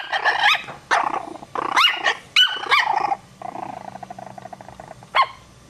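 Chihuahua puppies give high, sharp yappy barks in quick bursts, with a thin buzzy growl between.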